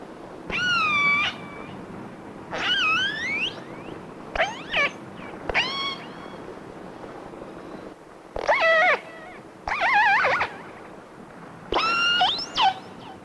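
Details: Namu, one of the first captured killer whales, gives wailing, rising-and-falling distress cries on a hydrophone while being towed toward Seattle and Puget Sound, with other whales nearby. Each cry lasts about a second, with short pauses between.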